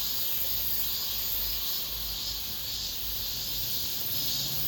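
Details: End-of-summer cicada chorus in an apartment complex, the season's last: unbroken shrill buzzing that stays level throughout, over soft low traffic-like noise.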